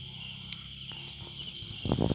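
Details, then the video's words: Crickets calling on a quiet night in a garden: evenly spaced short high chirps about every quarter second over a continuous shrill buzz, ending in a loud rustling noise. "suara malam sepi dengan suara jangkrik - relaksasi suara jangkrik"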